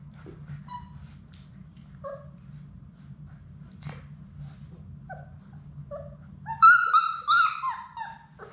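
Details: Sadie's six Labrador Retriever puppies in their indoor play room; brief squeaks and short whines dot a steady low hum, then a loud burst of high, quavering whimpers and yelps rises and falls for about two seconds.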